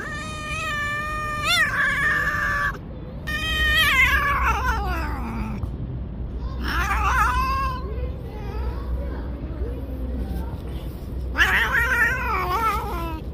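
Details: Angry pregnant stray cat living on the street, threatening to bite: drawn-out, wavering, harmonic yowls in four bursts over about thirteen seconds, some rising then falling in pitch, over a low rumbling street background with a person's voice.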